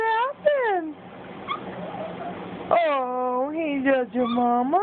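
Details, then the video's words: Puppy Cj, a Boston Terrier, vocalising to its owner: two quick rising-falling whines, a quiet stretch, then a long warbling moan that wavers up and down in pitch before curling upward. "Cj talking to mamma"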